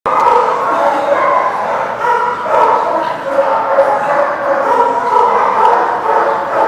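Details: Many dogs barking together at a kennel-like lot on 30 December 2019; a dense, continuous overlapping chorus of barks and yips with no pauses.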